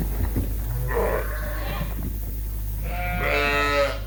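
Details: Suffolk lambs in a barn at Ewetopia Farms, escaped groups now mixed together; a softer, muffled bleat early on, then a clearer, drawn-out bleat near the end, with shuffling noise and a constant low hum between.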